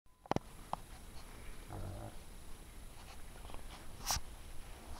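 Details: A hedgehog in a garage snuffles and huffs softly, with low snorting breaths and a few sharp clicks.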